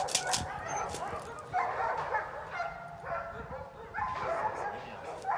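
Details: Eight-week-old female Belgian Malinois puppy named Pétra, trained in bitework; short high yips and whimpering bursts repeat about every second and a half, with a man's voice speaking in the background.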